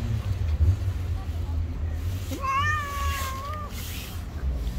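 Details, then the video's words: A single long, level yowl from one of two feuding street cats, held for over a second with a slight waver, set against constant low traffic noise. "A fight broke out when two cats who hated each other met"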